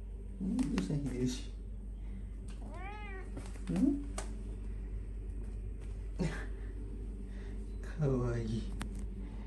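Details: House cat indoors giving a short rising-falling meow, then later a fainter second mew, amid low human chatter and occasional clicks in a small room.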